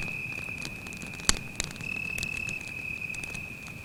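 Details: A cricket trills at night close to a campfire in the forest, a sustained high, even whine running through, interrupted by a loud crackling snap from the fire early on and lighter pops afterward.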